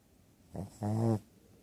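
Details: Sleeping two-year-old female Shih Tzu, whose nostrils were surgically widened last year, gives one loud buzzing snore: a brief rasp followed by a longer, strongly harmonic drone lasting about half a second, in a quiet indoor room.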